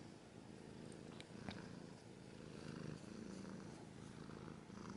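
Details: Steady, deep purring from a cat, a rhythmic low rumble rising and falling gently, with occasional faint scratching noises.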